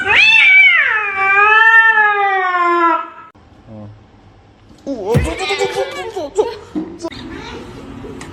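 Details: Domestic cat giving one long, drawn-out meow of about three seconds, strong and harmonic, starting higher, dipping, then holding a steady tone, followed by a short lull and then mixed scuffling noises and a voice.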